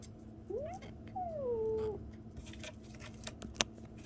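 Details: Indoor recording of a 37-day-old kitten: a short rising squeak, then a longer mew that sweeps down and levels off, followed by faint taps and rustles.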